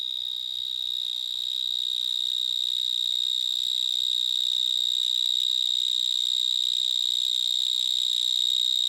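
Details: Vineyard mole cricket (Gryllotalpa vineae) stridulating in a vineyard in Gironde, France, recorded up close to a larger individual; loud, unbroken, shrill high-pitched trill holding one steady pitch for the whole stretch, with fainter overtones above.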